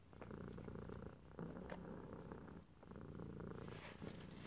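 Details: Domestic cat purring steadily in close ear-to-ear stereo, a low rumbling throb in alternating inhale and exhale phases with a brief lull near the middle, a few soft clicks and a faint hiss near the end.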